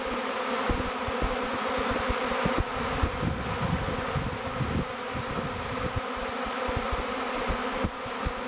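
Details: Thousands of honey bees in a swirling swarm choosing a log hive called Bee Beard as their future home, waggle dancing and flying before entering the mouth entrance; a steady, dense drone hums throughout with passing louder buzzes of individual bees.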